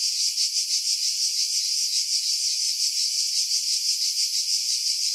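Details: Cicadas at Pefkos Bay, Skiros, Greece, July 2018, singing from pines above the sea: piercing, even electric-sounding whir with rhythmic swells about three per second throughout, no other sounds after wind filtering.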